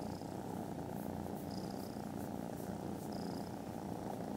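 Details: Contented foster kittens snoozing after lunch on Friday 18 December give a very loud purr: a steady, low, rumbling drone throughout, with faint high chirps at intervals in the background.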